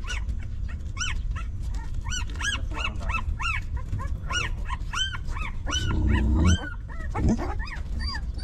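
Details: Newborn puppy of a stray mother dog, hungry and nursing, gives a long run of high, arched whimpering squeals, each rising then falling, repeated about twice a second, over steady low rumbling background noise.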